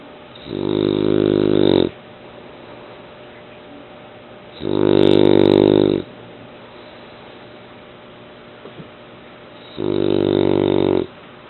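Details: Sleeping eight-month-old male French Bulldog snoring loudly indoors: three strong buzzing, harmonic snores of about 1.3 seconds each, repeating roughly every four and a half seconds, with quiet breathing gaps between.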